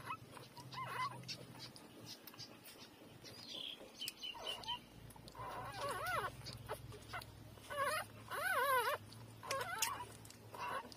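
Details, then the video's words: Squeaky, quavering cries from three-day-old puppies feeding at their mother, quiet at first, then louder looping whines near the middle and end, over a faint low hum. "Cute-3-days-old puppy take breastfeeding"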